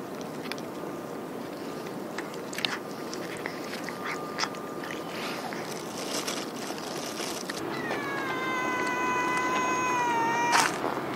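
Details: A hungry ear-tipped TNR cat meows before being fed. One long, clear, harmonic meow comes near the end, holding level and then falling slightly. Faint earlier cries and clicks sit over steady background hum and traffic-like noise.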